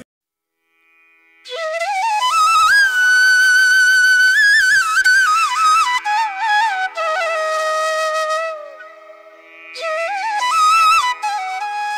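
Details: A melodic flute line plays over silence, rising and falling in ornamented phrases with brief pauses.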